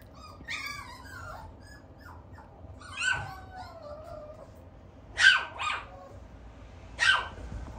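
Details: Tiny-size female Toy Poodle puppy weighing 560 g on May 29: thin, high whining yips and squeaky whimpers in the first half, then two short sharp yaps about two seconds apart near the end.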